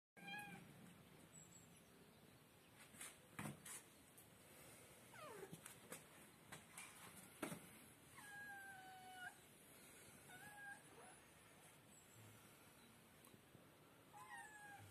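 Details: Kittens calling indoors, a series of short, high, slightly falling meows spaced a second or two apart in the second half, with sharp clicks and taps scattered throughout.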